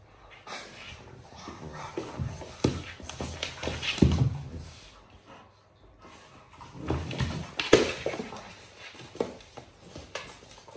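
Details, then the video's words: Cane Corso in a playful mood, giving rough, low growling bursts with brief whimper-like tones, in two busy clusters separated by a short quiet pause, indoors with scuffling noise. "Cane corso play mood"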